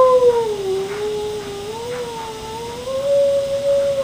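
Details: Male pet cat Pippy, upset about missing a walk, gives a sustained mournful cry that dips, wavers and then rises again, steady and tonal throughout, with a voice calling him a baby.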